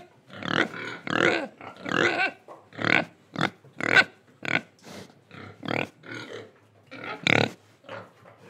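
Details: Pig in Indonesia grunting and oinking: a rapid run of short, harsh, broadband grunts, about a dozen in nine seconds, some with snorting breaths between them.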